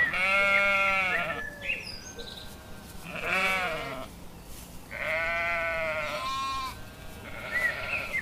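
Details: Sheep giving loud, wavering bleats in bursts about every two seconds, each quavering and slightly falling, with softer higher cries in between.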